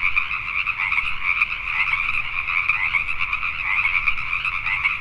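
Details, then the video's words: Nighttime Pacific tree frogs in Richmond, British Columbia, Canada. A packed chorus of rasping croaks swells and dips slightly, with individual calls blurring into a continuous trilling roar. "Pacific Tree Frogs at Night"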